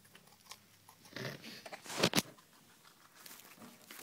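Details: Guinea pigs munching cucumber as a night-time snack indoors: a few crisp, crunchy bites and crinkling chews, loudest as a pair of sharp crunches near the middle, with quiet room background between.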